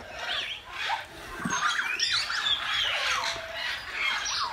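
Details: Meerkats in an enclosure at Lincolnshire Wildlife Park, curious about a cardboard box that has appeared; soft looping chirps and bent squeaks from several animals run steadily through the few seconds.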